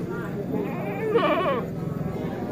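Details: Bligon (semi Jawarandu) breeding goat in a pen, recorded 18 April 2025; a single short wavering bleat rises and falls midway, surrounded by a man talking in Javanese.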